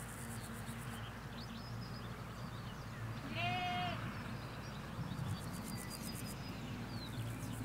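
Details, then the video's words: Sheep, ewes and lambs in a field in the Hampshire countryside, give a single wavering bleat of about a second amid steady low rumble of distant road traffic, with faint small birds chirping in the background. "4K Sheep Field - One Hour Sound and Video"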